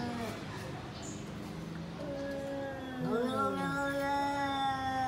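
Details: A cat in a food dispute, where lion cat takes tall cat's food: a quiet start, then a long wavering yowl that swells in the last two seconds, holding a steady rich tone.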